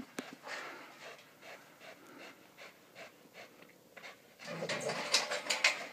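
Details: Rhythmic, rapid breathy panting, about two breaths a second, comes from Eyk vom Alten Troll, a dog working a spring pole in October 2012; the panting grows louder and harsher toward the end.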